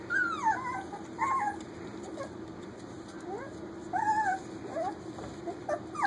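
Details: Almost four-week-old puppies at play indoors in a kitchen: repeated high whines and yelps, sliding pitch bends in short bursts about every second, with a low background hum throughout.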